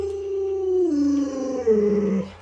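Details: Pet Alaskan Malamute named Luoluo howling beside its owner, who is ill in bed: a sustained tone that drops in clear steps, then jumps up and falls again near the end, ending within two and a half seconds.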